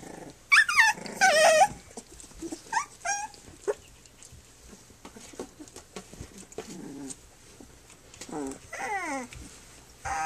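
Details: Three-week-old puppies of Flute, nursing and playing on their three-week birthday; high squealing whimpers sweep downward in bursts near the start and again late, with quieter squeaks and rustling between.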